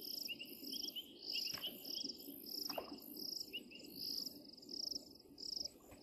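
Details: Painted reed frogs recorded at Djuma on 16 January 2023: short high notes repeated rapidly, overlapping with a steady buzzy insect-like pulsing higher up, and a low rumbling background.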